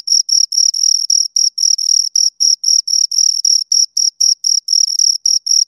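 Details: High, shrill chirps from two crickets recorded up close, pulsing in a fairly even rhythm of roughly four bursts a second against a silent background.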